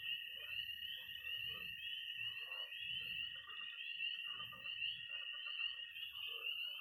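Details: Pond frogs, toads and tree frogs on an early spring night in Missouri: a constant shrill trill overhead, with rhythmic low croaks rising and falling about once a second.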